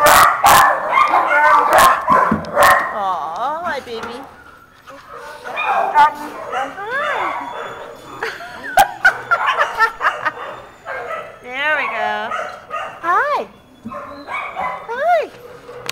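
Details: Male husky/malamute mix in a Baldwin Park shelter producing strange human-like 'talking': bursts of wavering, yodeling whines with zigzagging pitch, several quick wobbly phrases later on, alongside clattering noises and affectionate human chatter.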